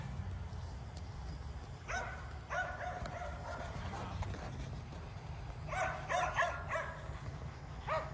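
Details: Five Kerry Blue Terriers exercised at home with an E Revo remote-control car give short bursts of sharp barks, in clusters near the start and again later, over a steady low motor rumble.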